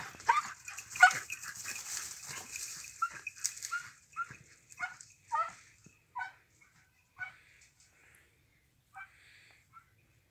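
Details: A Jagdterrier working on wild boar gives sharp, clipped barks, quick at first then sparser and fading, with rustling, hissing noise at the start.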